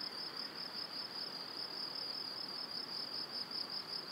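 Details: Evening crickets by a cereal field and pine forest, Wylatkowo in Powidz Landscape Park, spring: shrill, steady pulsed trilling from many insects at once, loudness barely wavering, over a quiet natural hiss.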